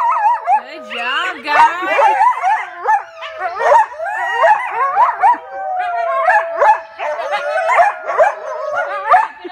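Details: Coyotes at The Alaska Zoo howling along with children who howl to them; wavering, sliding yips and howls overlap in a dense chorus, with children's voices mixed in throughout.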